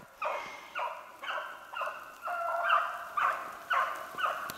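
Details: Beagles bay on the trail of a snowshoe hare on 3/8/16 as rain begins, giving repeated tonal barks about every half second, somewhat distant, over a hissy background.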